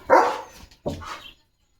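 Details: German Shepherd named Leo barking at a tractor moving past the house: two short, rough barks, the first louder, about three-quarters of a second apart, then quiet.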